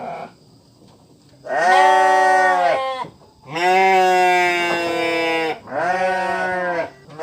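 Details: Three loud, drawn-out sheep bleats separated by quiet pauses, each steady and strongly harmonic, the middle one longest at about two seconds.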